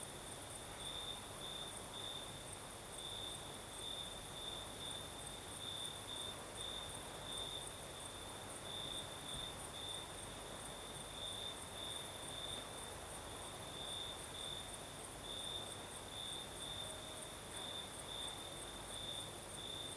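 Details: Crickets sing through a southern Crimean night as a breeze blows, a constant high chirring with rhythmic beats, an even higher faint buzzing above and low breeze rumble beneath.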